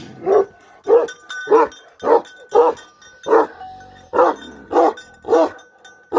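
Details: Repeated deep barks from a Bhote Kukur guardian dog, roughly ten in six seconds, with one short pause midway and a faint sustained ringing tone in the background.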